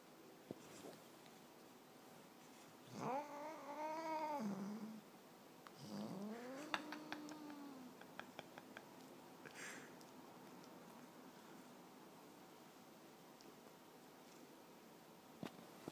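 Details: A male Siamese cat vocalizing while asleep: two drawn-out, wavering, moaning meows, the second sliding upward and then falling. A few soft clicks and rustles follow in a quiet room.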